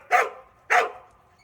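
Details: Pet dog Cheondung-i, after a walk, gives two loud, sharp barks about six tenths of a second apart. Each is a short, harmonic burst that fades quickly into a quiet room.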